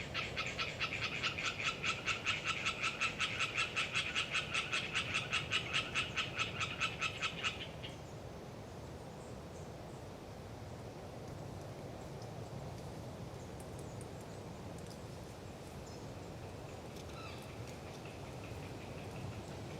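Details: Hyla orientalis tree frog calling in Galeriç Swamp Forest, Kızılırmak Delta, Samsun, on a windy autumn day. A loud, rapid, regular pulsed rattle lasts about seven seconds, then stops, leaving wind noise and a few faint distant pulses.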